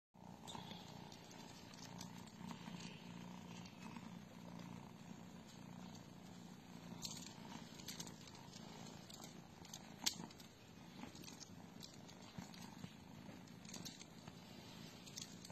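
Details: British Shorthair cat at the Aristo Cats Cattery purring: a soft, steady low rumble running throughout, with light clicks and rustles above it.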